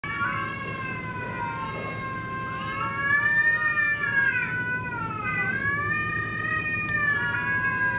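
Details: Cats quarrelling in a fight, drawn-out wavering yowls that rise and fall, long harmonic-rich wails overlapping and sliding in pitch for the whole stretch, steady low background hum.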